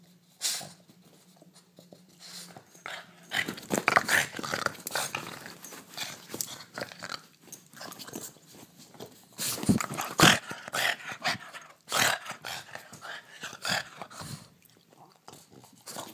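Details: During a nightly indoor play session, a Boston terrier named Theo bites at a hand; quiet at first, then dense irregular snorts, huffs and rough breathy bursts with scuffling, louder peaks near ten seconds.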